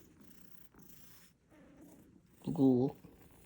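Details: A pet cat, woken from sleep, answers when called indoors with a single short meow of about half a second, clear stacked harmonics bending slightly downward, following quiet speech and room noise in a small room.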